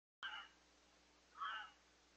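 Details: A red fox gives two short, hoarse, rasping calls about a second apart, possibly a mating call, in Lisbon, New Hampshire.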